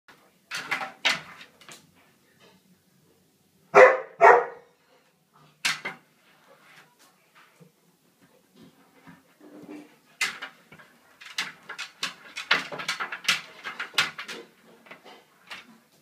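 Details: Samoyed dog indoors giving loud broad barks and howl-like yelps in irregular bursts, a strong pair near four seconds and a denser run of rapid barks near the end, with quiet gaps between.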